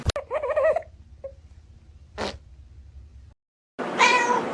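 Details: Pet cat from a compilation of funny cat moments making a brief wavering meow at the start, followed by a sharp thump, a soft rustle, a moment of silence and a burst of loud noisy handling.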